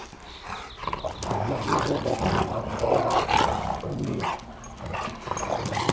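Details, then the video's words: Great Pyrenees mix dogs, mother Great Pyrenees and fathers unknown, playing together: continuous rough growling and grumbling vocalisations, irregular and dense throughout, with scuffling noise. "Great Pyrenees Mixes, playing"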